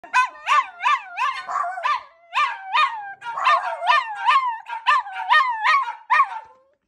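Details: Pet dog screaming hysterically to be picked up; rapid high-pitched yelping whines, each rising then falling sharply, repeated about two to three times a second in continuous bursts, in a quiet room.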